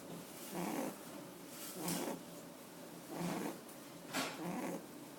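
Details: Pet rabbit sleeping with its eyes open, snoring softly indoors: breathy, rasping snores about every 1.3 seconds, four in five seconds, over a quiet room hiss.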